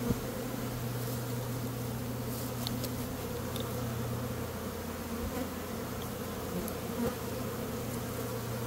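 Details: A May swarm of honey bees, one of two that day, buzzing as a beekeeper catches them: an unbroken low drone with layered humming tones and scattered faint high ticks.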